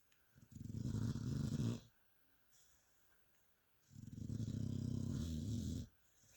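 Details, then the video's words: Mia, a pet dog, snoring while asleep: two long, rumbling low breaths about two seconds each, separated by quiet pauses, with a faint hiss riding on top. "Mia the amazing snoring dog."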